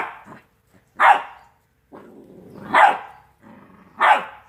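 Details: Rottweiler puppies aged two months at play, alternating rumbling growls with three strong high-pitched barks spaced over a second apart.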